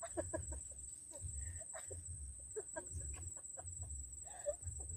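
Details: Insects on Mt. Gulugod Baboy in Mabini, Batangas, Philippines, heard while car camping above the ocean: a constant thin, high, ringing buzz, with chickens clucking irregularly and a soft low rumble underneath.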